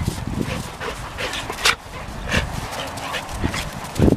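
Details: One-year-old Golden Retriever Selma Verona at play with one-year-old Australian Shepherd Vili, giving short, gruff yips and growly bursts, several sharp peaks spaced irregularly, over a background of scuffling.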